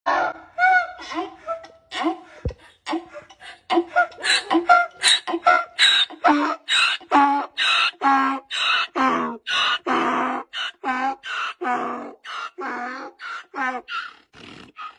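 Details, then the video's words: A donkey braying: a long series of harsh, harmonic honks in a see-saw rhythm, the alternating in-and-out notes coming quickly, roughly two to three per second, and growing loud and steady after a few hesitant opening sounds. "Nature Voice,,DONKEY"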